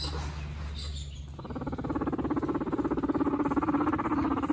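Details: Guinea pig brothers, both males, competing for dominance; after a quiet start with low hum, a rapid pulsed rumble builds and continues steadily, pulses coming around 200 per minute.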